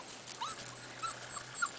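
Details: Corgi puppies outside for the first time in their play yard, peeking out from a maze of hiding places: a few short, faint, high whimpering squeaks, each slightly rising, spaced through the moment over a low steady hum.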